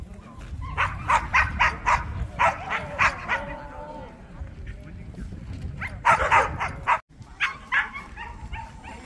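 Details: At the 67th Korea Jindo Dog Association best-Jindo contest in Korea, a Korean Jindo barks in rapid bursts of three to five sharp yaps. The bursts recur through the recording, with a brief pause and background voices in between.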